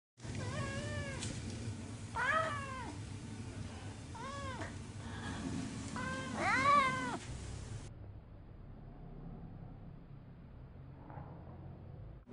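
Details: Orange pet cat named Vlaminck meowing indoors to get the attention of a rescue dog, Cocolo: four or five drawn-out, wavering meows, some rising then falling, spaced about two seconds apart, followed by quiet room noise.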